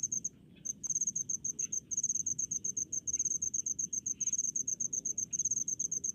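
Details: Cricket in a rice paddy in rural Indonesia, chirping in rapid high-pitched pulses. After a brief quiet start the bursts repeat several times a second, crisp and metallic, over a soft low background hum.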